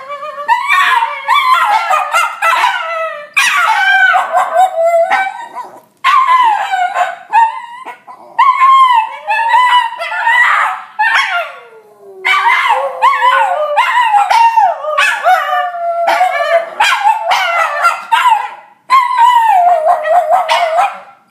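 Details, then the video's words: Cairn Terrier and Jack Russell Terrier howling as their owner comes home; repeated warbling howl bursts separated by brief gaps, pitch sweeping up and down, one long descending howl midway, interspersed with yips and barks. "Cairn Howl & Jack Russell Howl"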